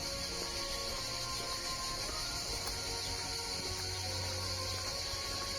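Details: Cicadas along the Compostela pilgrimage route near Saint-Gilles, France, heard on day three of the walk: a dense, unbroken high buzzing chorus holding steady throughout, with faint low rumble and scattered tonal hum beneath.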